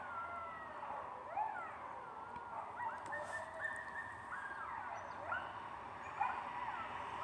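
A group of coyotes howling together, with wavering, sliding wails overlapping in a chorus.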